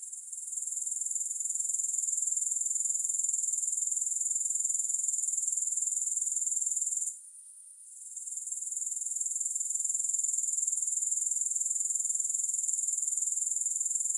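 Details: Grasshoppers, recorded with no music: a dense, hissing high-pitched buzz pulsing rapidly and evenly, broken by a brief drop in volume near the middle before the steady trilling resumes.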